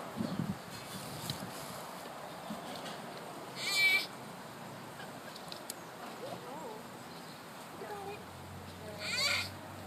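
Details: A baby sloth exercising during playtime lets out two short, high, quavering squeals several seconds apart, with faint low voices and rustling between them.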